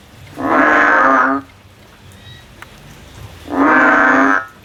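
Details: Two long buzzy croaks from a male frog in the field, each about a second long and rich in stacked harmonics, separated by a quiet gap of about two seconds.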